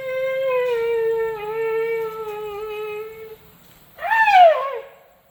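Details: Tuskless male Asian elephant Sido Ham begging for food: a long, steady, reedy tone held for over three seconds, then a short pause and a loud squeal that rises briefly and falls away.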